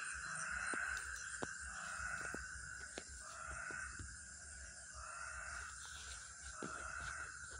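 A frog gives buzzy, drawn-out croaks, repeated about every second and a half.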